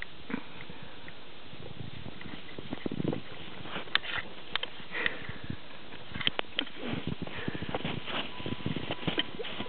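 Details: Karelian Bear Dog puppy named Brewski playing in the snow in a back yard, sniffing in short breathy bursts that come in irregular clusters over about ten seconds, with soft crunching and light thuds between them.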